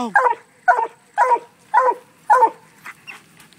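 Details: Black and Tan Coonhound treeing on a raccoon released from a cage: five loud, hoarse, harmonic barks in a steady series about half a second apart, then fainter trailing sounds.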